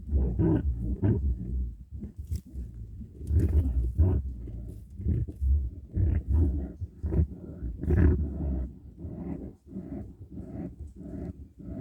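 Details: Fighting badger, a run of rough, low growls and snarling bursts coming every second or so, gruff and throaty, with continuous rumbling underneath.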